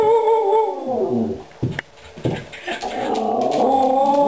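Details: Pet dogs Aggie and Hailey yodel for treats indoors: a sustained warbling tone that bends downward, breaks into a few clicks and knocks, then returns as a steady, slightly wavering yodel.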